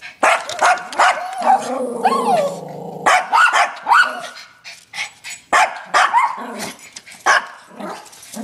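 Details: Yorkshire terriers challenging a raccoon bark in sharp bursts mixed with whining, rising yips and a drawn-out growly whine, broken by short pauses.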